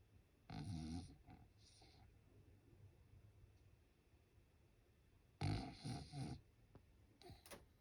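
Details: French Bulldog asleep at home during Golden Week, giving two low, raspy snoring breaths separated by a long quiet gap, with softer breathy snuffles in between.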